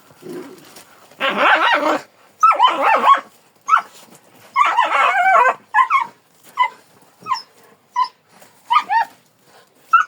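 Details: Kangal dog giving a string of high, harmonic yelping barks and whiny cries in uneven bursts, some long and strained, others short and clipped, with brief silences between.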